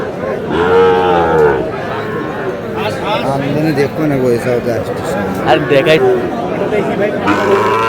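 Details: Sahiwal breed bull calves at a Kurigram cattle market, 3 March. A strong drawn-out moo sounds at the start and a shorter one at the close, with dense human chatter and bargaining throughout.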